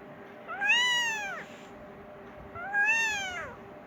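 A Persian kitten gives two high, arching meows, calling for its mother and wanting food.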